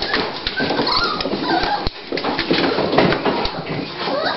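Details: Dolly, a female Toy Pinscher at the start of giving birth, preparing to whelp her puppies indoors, whimpers in thin high whining tones that rise and fall. People talk over her throughout.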